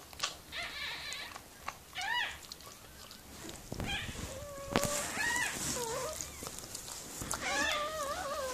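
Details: Miniature Pinscher named Mirella giving birth to puppies; short rising squeaks and wavering whines come in scattered bursts, some thin and high, others longer and lower, with soft rustling and handling noises between.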